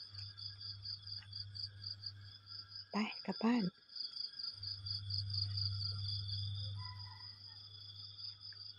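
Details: Crickets chirping in the morning: a steady, finely pulsed high trill runs without a break, with a second even tone beneath it. A short burst of human voice interrupts midway, and a low hum sits underneath.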